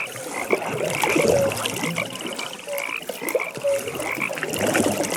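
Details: Frogs calling at a pond at night, short croaks and brief rattling trills overlapping in a dense chorus, with soft background ambience.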